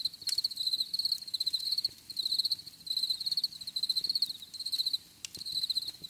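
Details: Crickets chirping in nature: bright, high pulsed trills delivered in regular bursts about every half second to second, separated by short gaps, with a couple of sharp clicks.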